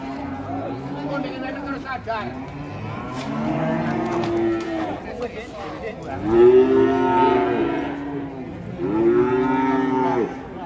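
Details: Indonesian cattle give a few scattered low moos, then two strong, full moos in the second half, each swelling and then fading, over background music and clapping.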